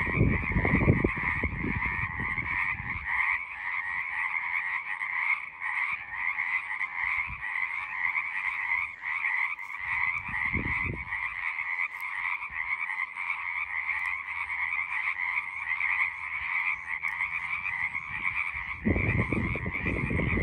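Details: Chorus of frogs calling continuously, a dense, steady pulsing croak in two layered pitches with no breaks, overlaid by bursts of low rumbling wind or handling noise near the start, around ten seconds, and at the end.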